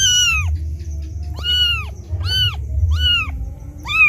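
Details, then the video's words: Kitten crying loudly for its mother after being left alone; high, harmonic mews that rise then fall, about four cries spaced roughly a second apart over a low background rumble. "Suara anak kucing menangis memanggil ibunya"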